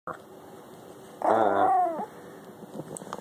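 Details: Miniature Schnauzer puppy wanting attention while licking a finger, giving a single short, rising-and-falling whiny growl lasting under a second, against quiet indoor room sound.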